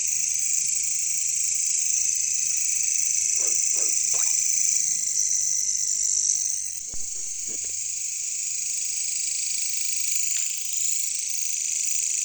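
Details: Jungle chorus of katydids (bush crickets, local name caricangkas): a constant shrill, high-pitched hiss that dips briefly midway, with a few scattered short croaking knocks in the background.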